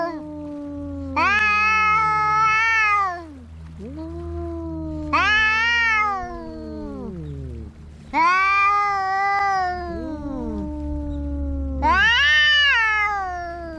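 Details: Fighting cats trade loud wailing yowls roughly every three to four seconds, four bursts in all, with lower drawn-out moaning growls overlapping between them.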